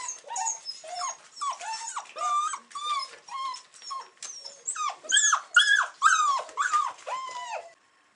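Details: Weimaraner puppies from the same litter, 42 days old, recorded on 8 December 2008, whine and yelp in quick, overlapping bursts, each call bending up and then down.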